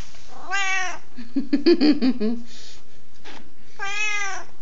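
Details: A strange, talkative pet cat kept by grandparents meows twice, each a bright harmonic cry, with a burst of low chattering, trilling sounds between them indoors.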